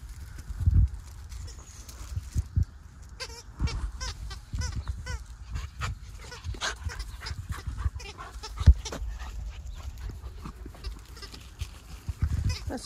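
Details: English Labrador Retriever puppies, 14 weeks old, from Jazzy and Gator's litter, give a run of short high-pitched whines and yelps in quick succession midway through, among loud thumps, bumps and handling noise.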